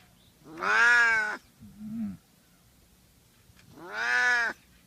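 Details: Cat giving two long, drawn-out meows, each strongly tonal and slightly arched in pitch, separated by a short, quieter low murmur, in an otherwise quiet setting.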